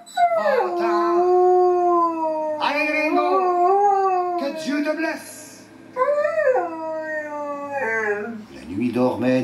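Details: Household Siberian husky howling in its 'singing' manner: four drawn-out howls, each rising then sliding down and trailing off, with pauses between. Faint steady music sits beneath, and a garbled voice comes at the end.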